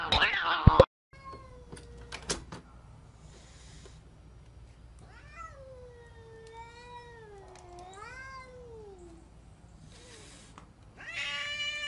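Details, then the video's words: Angry cat letting out a single long, wavering moan that rises and falls over about four seconds, between sharp bangs at the start and a harsh noisy burst at the end. "Crazy angry cats"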